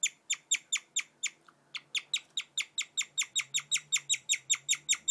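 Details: Guinea pig Cotton chirps in a fast, steady series of high, bird-like notes, about four each second.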